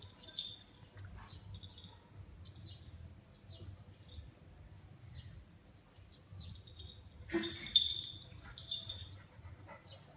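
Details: Puppies greeting visiting friends, giving high, thin squeaky whines in quick irregular bursts, rising to a louder cluster of squeals near the end, with faint low room noise beneath.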